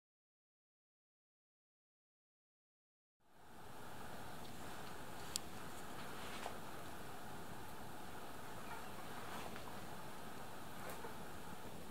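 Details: Three seconds of silence give way to a steady indoor hum broken by a few faint clicks, with no animal voice.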